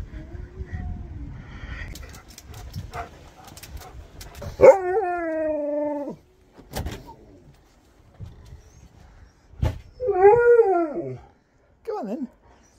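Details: Sherpa, a Siberian husky on a road trip, staring at his owner, starts with faint muffled noises, then gives a level mid-pitched howl of a second and a half and later a shorter arching howl, with a brief final whine.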